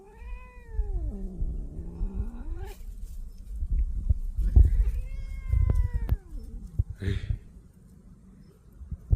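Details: A reluctant pet cat refusing to head home lets out two long, wavering meows. The first dips low, then the second rises and falls. There are faint rustling and handling sounds between the calls.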